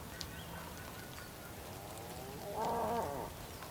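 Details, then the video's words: Bull calling on the Patagonian plain of Tierra del Fuego, Argentina, on a rainy day: a single loud, harmonic bellow rising out of steady rain noise after a quiet stretch, with faint bird chirps early on. "Some bulls calls in the patagonian plain, during a rainy day in Tierra"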